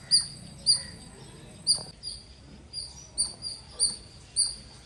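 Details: A squirrel calls with crisp, high-pitched chirps, eight separate notes spaced about half a second to a second apart over a quiet background.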